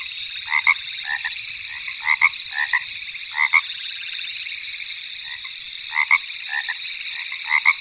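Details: Golden poison dart frog: short paired chirping notes, repeated in bursts every second or so, over a constant high steady hum of background insects or equipment.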